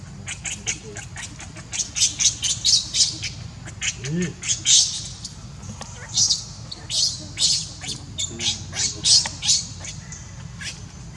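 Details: Hungry baby monkey Leo crying and begging its mother for milk: rapid series of short, high, squeaky chirps and squeals, bursts in quick succession with brief gaps, over a steady low background hum.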